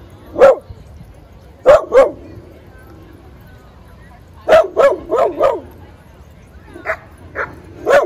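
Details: Single sharp barks from a dog playing in a Brooklyn dog park, spaced irregularly: one, then a pair, then a run of four, followed by softer yaps, with a hushed background.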